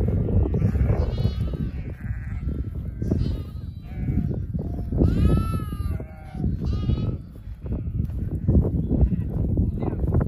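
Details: Lambs brought in for the night by a Border Collie on a farm: several wavering, nasal bleats rising and falling, scattered through the clip over a steady low rumble, with a man's voice speaking.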